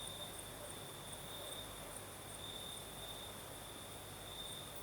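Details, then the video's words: Crickets singing at night in the south of Crimea, a steady high trill pulsing without pause, with a fainter, even higher trill above it, over the soft broad hiss of a night breeze. "Сверчки поют"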